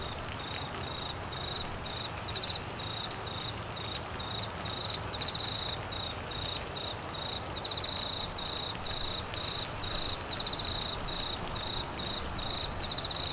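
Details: Cricket calling during the Australian monsoon season in Queensland, a steady high chirping pulsed in short bursts roughly every half second throughout, over a constant hiss of heavy rain.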